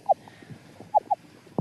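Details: On a reef recording, possibly an unborn damselfish or perhaps an orange-fin clownfish makes a few short, pitched chirping pops, ending with a sharp click.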